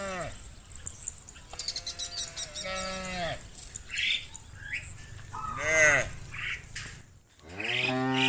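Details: Herd of cows coming in from the fields toward the barn: several shorter, higher-pitched moos and lowing calls overlapping, with bird chirps scattered through and a brief quiet gap near the end.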